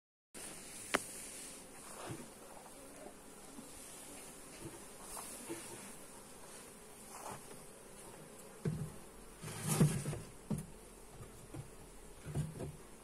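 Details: Honey bees humming during a hive inspection, recorded on a Xiaomi Redmi Note 8 phone: a steady low drone with sharp clicks and knocks from handling the hive, louder bumps near the end.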